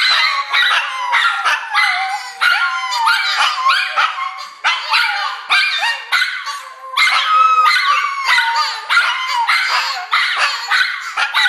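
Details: Two Shih Tzus and a Papillon howl together in excitement as their owner gets home from work: high, wavering, sliding notes broken by yips. The black-and-white one sounds like a squeaky toy near the end. Shih Tzu.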